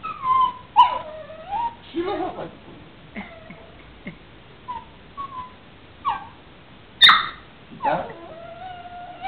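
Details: Female puppy vocalizing back at her owner, giving a run of thin, tonal whimpers and sharp yips, some sliding downward, several close together with short pauses, over quiet room background.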